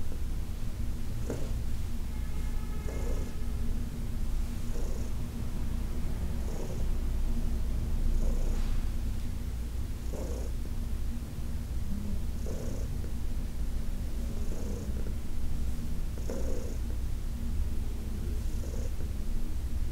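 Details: A senior cat named Heidi, adopted from the Humane Society of New York City, purring through a massage on August 4, 2021; a low continuous rumble pulsing with her breathing every couple of seconds, plus faint rubbing sounds.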